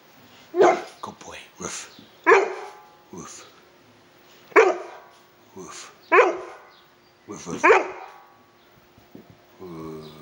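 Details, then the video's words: An 11-month-old male bullmastiff puppy of 8 stone barks in play, giving about six gruff, deep barks at uneven intervals of one to two seconds, with softer huffs between them and human voices making dog sounds nearby. "Angry Bullmastiff Puppy, (at 8 Stone) "You want some" Barking, and puffing"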